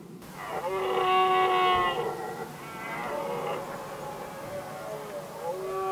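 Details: Rutting red deer stags in Västmanland, Sweden, in 2010, settling their rivalry over the hinds. One loud, rich, harmonic roar lasts about a second and a half, followed by quieter overlapping bellows with a wavering pitch.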